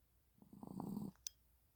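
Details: A Maltese dog asleep gives one rattling, growl-like snore lasting roughly half a second, followed by a sharp tick; 25.1.30.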